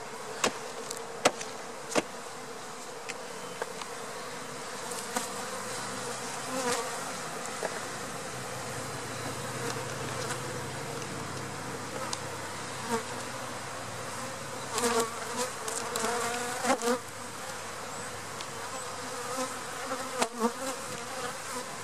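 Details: Honey bee swarm from April 2017 being installed in a hive, a steady dense buzzing hum throughout, broken by sharp knocks and clatters of handling equipment, with a brief spoken word before.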